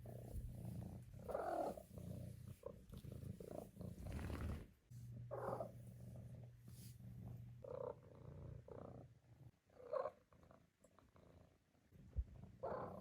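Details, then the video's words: A four-month-old female Maine Coon kitten, kept as a pet indoors, makes a series of brief chirping trills spaced a few seconds apart over a steady low purr-like hum and quiet room noise. "Maine Coon Kitten Makes Cute, Funny Sounds"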